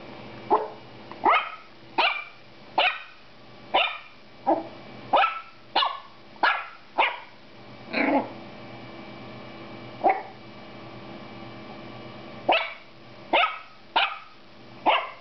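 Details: Female Toy Poodle puppy named Aux Yeux Noirs Hima barking at her own reflection, seeing herself in a mirror for the first time: a quick run of sharp, high yappy barks, about sixteen in fifteen seconds, with a short pause midway.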